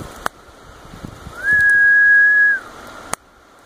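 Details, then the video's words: Calling male Magicicada septendecim from Brood V, 12 June 2016, prompted by finger snaps that imitate a female's wing flicks. A flat background drone swells into one loud, sustained, higher buzz of about a second, then falls away. A crisp snap is heard before and after. "Magicicada septendecim Calling Male"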